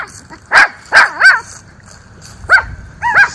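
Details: Miniature Schnauzer brothers barking at the neighbours in an autumn yard in Aroostook County, Maine, on a cool, breezy October day; three loud, sharp barks, a pause, then two or three more yappy barks with rising and falling tails.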